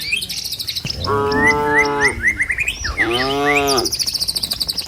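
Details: Cows walking in a herd down a village road toward the pen, rice fields and trees alongside: two long, steady moos, the second slightly wavering, over busy high bird chirps.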